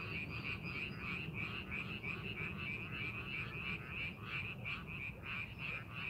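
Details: Frogs in a rice paddy during farming preparation, croaking in a busy chorus; clipped, buzzy pulses repeat about three times per second, with a steady low-frequency background noise.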